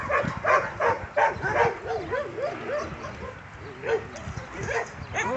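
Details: Domestic dog playing tug, giving short harmonic barks and yips in bursts, then a run of rising-falling whining growl notes, with more barks toward the end; scuffling play noises and faint voices in the background.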